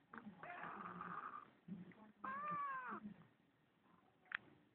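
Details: Pet kitten meowing in answer to its owner indoors: a drawn-out harmonic meow, then a louder arched meow with rich harmonics, with soft low rumbling and a brief sharp click near the end.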